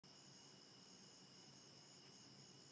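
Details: Crickets on a very dense foggy morning, heard from a bedroom window before dawn: a steady, unbroken high shrill trilling with two or three layered pitches, over faint low background hum.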